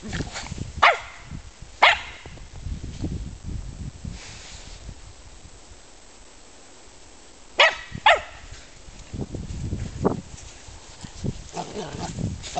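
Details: German Spitz (Mittelspitz) dogs at play giving sharp single barks, two early and a quick pair later, between stretches of soft rustling and low thumps.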